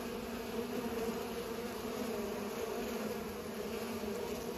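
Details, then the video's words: Bees pollinating flowers, a steady droning hum with strong bands near 250 and 500 pitch levels, continuous and even throughout, like a swarm working together. "Bees are pollinating"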